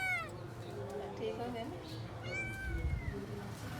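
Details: Domestic cat and kittens being fed, high thin meows with clear harmonic bands, one near the start and a longer falling meow near the end, over a low rumbling background with soft clicks.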